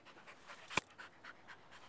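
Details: Indio, a tired half Rottweiler, half shepherd mix dog, possibly part border collie, plays and trains in a yard on a beautiful 80-degree day before feeding. Quick rhythmic panting runs about four or five breaths per second, with one sharp click midway.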